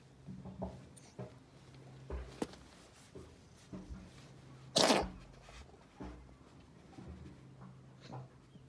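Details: A friendly cat on one of Japan's cat islands, being petted, gives one sharp, loud, hissing sneeze in the middle of otherwise quiet background with faint low hum and a few soft thumps.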